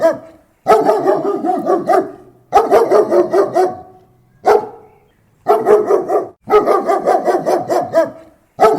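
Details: German Shepherd barking close up: volleys of rapid, harsh barks, several per second, broken by brief silent pauses, with about seven bursts in all and no other sounds.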